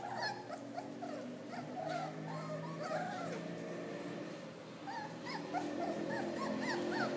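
Miniature Dachshund puppies whimpering and yipping in a rapid, overlapping chorus of thin, rising squeaks.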